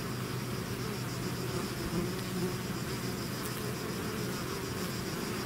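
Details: Bees swarming out of their hive make a diffuse, even hum; the buzz sits low and muddy under a faint steady background hiss, with no single insect standing out.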